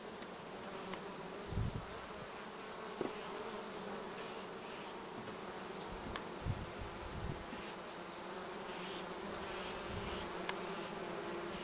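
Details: Bees on acacia and other plants along the Sun Highway between Cernavodă and Medgidia; a dense, continuous buzzing hum from many insects, with scattered low thumps and faint clicks throughout.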